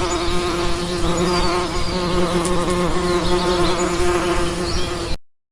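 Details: Honey bees at a swarm trap give a steady, droning buzz with a low hum and rich overtones.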